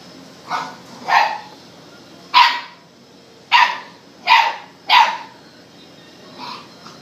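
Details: Puppies at a kennel playing and grabbing at pants give a run of sharp, high barks, six clear yips spaced under a second apart, then a fainter seventh, over a quiet room background.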